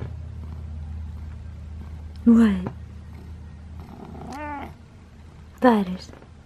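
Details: Cat dressed in a sheriff costume for Halloween, giving three short meows, the middle one more drawn out, over a low steady indoor hum with faint purring.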